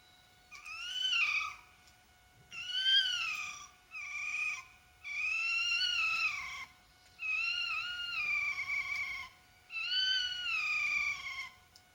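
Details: Fox at 3:00 in the morning gives a series of high, wavering, wailing calls, each a second or so long.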